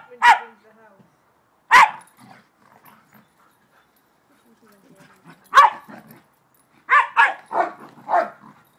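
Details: A dog barking while playing with a bigger dog friend; sharp single barks near the start, then a quick burst of four yips and barks toward the end, with softer growly sounds and quiet gaps between.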